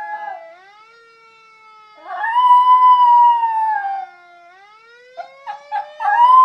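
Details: Pet schnauzer howling with a fire siren: a strong, steady howl lasting about two seconds, then a run of short choppy yips leading into another rising howl, with the siren's long tone sliding downward behind.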